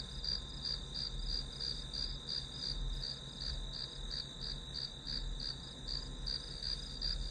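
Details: Steady, high-pitched pulsed chirps from grass insects, heard as background white noise for a study session. The beats roll on evenly, about three per second, above a soft low hum.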